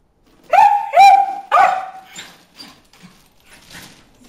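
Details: Three quick, loud, upslurred barks from Bruce the dog at fish in the water hole, trailing off into faint rustles and a few soft noises.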